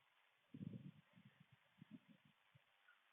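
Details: A raccoon on a camera feed gives a low, rough growl followed by a run of short, grunting pulses, directed at a possum.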